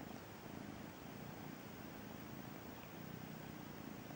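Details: Continuous low, rapidly pulsed purring from Braveheart, a feral cat's kitten, on its first encounter with the sofa; even and unbroken throughout, with a quiet hiss in the background.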